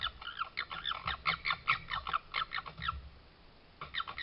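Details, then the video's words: Garden red fox in Suffolk, recorded by trail camera in July 2022, giving rapid, harsh squawking calls, about two per second, in a busy run; a brief silence, then the calls start again. "lots of cute fox noises and a fox sneeze"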